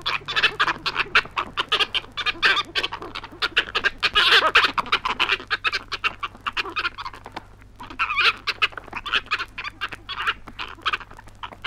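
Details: Flying foxes (fruit bats) recorded in Australia on a 1968 wildlife record squabble in a dense chorus of harsh, rasping screeches and chatters, overlapping almost without pause, over a faint steady hum.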